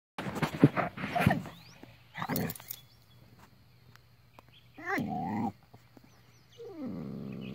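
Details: Border Collie barking at a tortoise, trying to get it to play: a cluster of loud, rough barks in the first seconds, then two drawn-out harmonic whining yelps, the last sliding downward, with faint bird chirps in the background.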